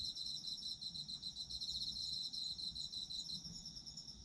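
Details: Chorus of autumn insects: overlapping shrill pulsed trills held at high pitch, rapid chirps running together into an unbroken shimmering drone, slight swells in loudness, nothing else audible.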